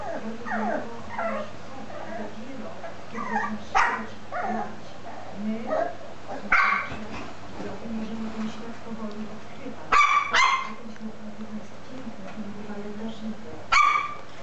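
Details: Lhasa Apso puppy aged 13 weeks playing with a teddy bear: low growling and grumbling throughout, broken by scattered short high yips and sharp barks, several in quick pairs, over a constant low hum.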